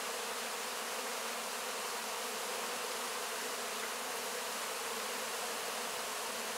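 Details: Close-up of honey bees cleaning wax cappings after the honey harvest: a thick, constant buzzing drone from many bees, steady in loudness with a bright hissing overtone.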